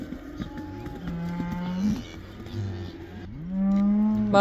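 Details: Cattle in the Netherlands heading back into the pasture, the spring turnout locally called the cow dance (koeiendans); several long, low moos overlap, one swelling louder and rising slightly near the end, with faint background murmur.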